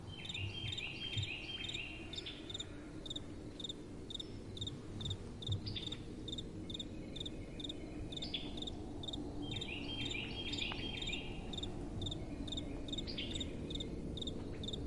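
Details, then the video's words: Crickets chirping at night in soft wind: a steady chorus of short high chirps about twice a second, swelling with louder overlapping trills near the start and again around ten seconds, over a continuous low wind rush. "Relaxing Night Time Sounds | Crickets & Soft Wind"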